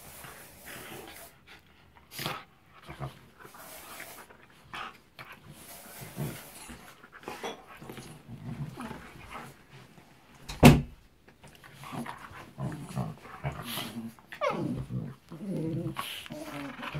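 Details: A 6-month-old Shiba Inu gives low, rumbling growls and snorts in short bursts while playing roughly with a 4-year-old Siberian Husky.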